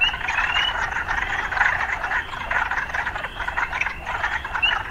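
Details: Frogs in an urban setting keep up a thick, pulsing chorus that swells and eases in waves, with a couple of brief upward-sliding chirps near the start and end.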